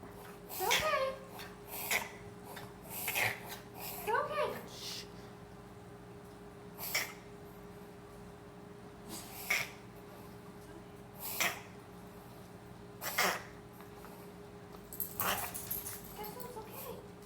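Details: A Bichon Frise has a coughing and sneezing fit of sharp, breathy bursts every second or two over a low hum, with voices nearby; the owner wonders if it is kennel cough.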